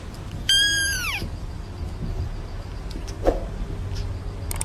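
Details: Cat at a cattery uttering a single short falling meow near the start, followed by steady low rumbling background noise and a faint click.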